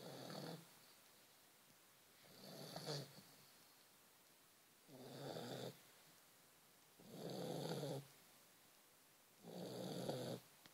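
A sleeping Vizsla snores steadily, each breath a coarse, rumbling rasp lasting roughly a second. The snores come about every two to three seconds, separated by near silence in a small, quiet room.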